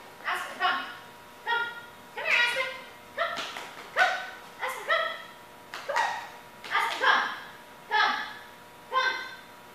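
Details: A one-year-old female German Shepherd named Aspen, recorded for a before-and-after training comparison, gives a steady run of loud, ringing barks about once a second, a few coming in close pairs.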